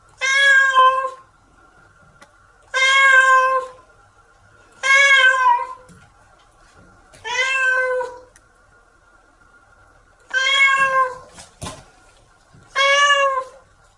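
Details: House cat resisting a wash in the shower, yowling in six long, strained meows at uneven intervals of about two seconds, with faint splashing between calls.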